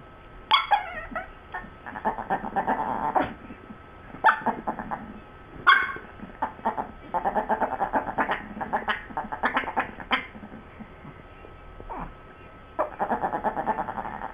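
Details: Two dogs, Sue Ellen and Siv, in a back-and-forth exchange about a bone: bursts of harmonic, moaning grumbles and yowls, some pulsed and throaty, separated by short pauses, with sharp rises at the starts of phrases.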